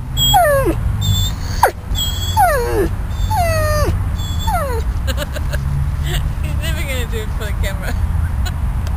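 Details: At Bryanston Veterinary Hospital, Riddick the dog, uncomfortable after leaving ICU, lets out loud, piercing whines that swoop sharply downward, then softer wavering whimpers, against people talking and a low background drone.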